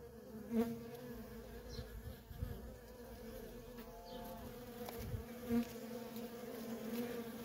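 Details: Worker honey bees busy at a feral colony; a constant two-toned hum with single bees swelling loudly past the microphone about three times, plus soft low rumbles.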